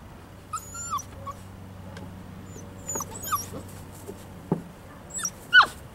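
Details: Young Poodle puppies, five weeks old, at play outdoors: a few scattered thin whimpers and short yips, some sliding downward, separated by quiet gaps, with a faint low hum underneath.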